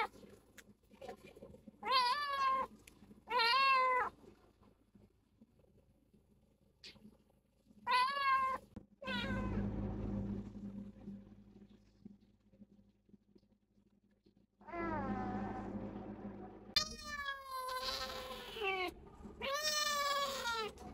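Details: Rescued stray kitten, female, ill with cat flu, on her first vet visit: a series of rising-falling, harmonic meows in short bursts, several near the start and more toward the end, with low room rumble and a voice between calls.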